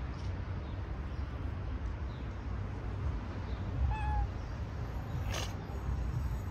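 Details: Stray cat among many playful cats living in a small park with a shelter: a single short, clear meow near the four-second mark, set against a steady low rumble, with one sharp broadband burst shortly after.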